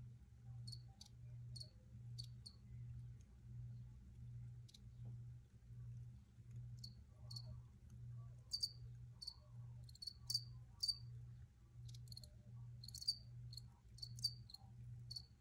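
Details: Recorded crickets giving sharp high chirps, scattered early on and then crowding into quick clusters later, set against a soft low hum that swells and fades in a slow steady rhythm.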